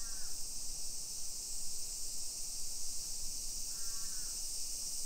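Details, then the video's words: Summer cicadas in a hillside residential suburb of Nisshin city near Nagoya, Aichi Prefecture, Japan, at 1 PM on 28 July 2021: a steady, high, hissing drone throughout, with two short harsh crow caws, one at the start and one near the end. "Summer Cicadas Sounds"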